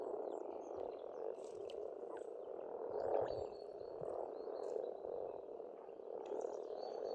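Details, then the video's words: Massed frog croaking from a pond in Estonia in spring, an unbroken purring chorus that peaks briefly midway, with scattered bird calls and whistles overhead. "Расслабляющее пение птиц и лягушек, весна, природа."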